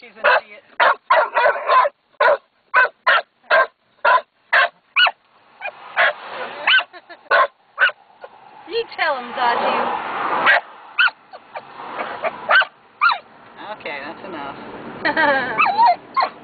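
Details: Zazu, a female dog watching black cows, gives evenly spaced sharp barks about twice a second for five seconds, then whining and a person's voice mix with more barks.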